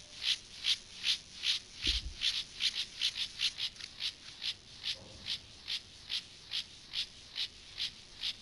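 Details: Gomphocerus sibiricus, an acridine grasshopper, during sexual behaviour: a steady run of short, raspy, high-pitched pulses, about two and a half each second. A brief low thump falls near the two-second mark.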